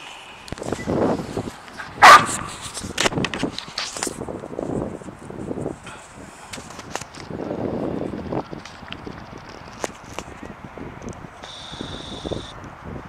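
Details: Sadie the dog, excited and jumpy over an unseen squirrel, lets out one sharp, loud bark near the two-second mark amid softer, murmuring sounds and scattered clicks and rustles.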